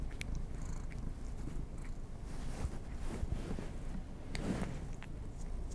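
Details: Pet cats being given treats, recorded close for ASMR with no talking; a steady low rumbling purr fills the clip, with a few faint clicks and taps above it.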